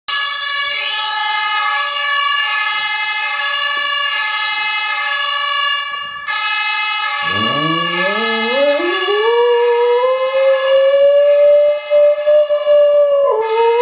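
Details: Sisa, a dog, howls in response to a fire-engine siren played from a mobile phone; the howl rises from a low growl-like start into a long, steady, wavering tone that holds for several seconds over the continuous loud siren.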